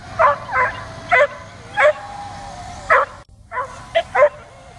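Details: Dog barking and jumping at a drone flying overhead, trying to get it; loud, sharp barks in uneven bursts, about seven in under five seconds, over a steady whining drone hum, with a brief gap of silence.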